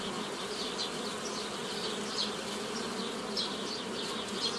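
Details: Swarm-derived honey bees being split into nucleus colonies by a hobby beekeeper in May 2018; a continuous, even buzzing hum with flickering higher tones of individual bees passing close.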